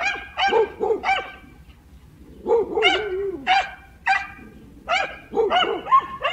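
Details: Dogs barking in short, sharp, harmonic barks, some doubled or in quick runs, separated by brief pauses, with one longer whining bark mid-sequence; quiet background.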